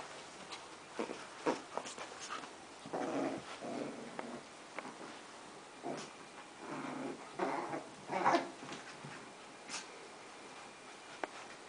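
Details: Indoors, Bowie and Jaxon, two dogs, wrestle for a crab plushy until Jaxon gives up; rough throaty growls swell and fade in short bouts, mixed with snorts, a high yelp-like squeak and scuffing noises.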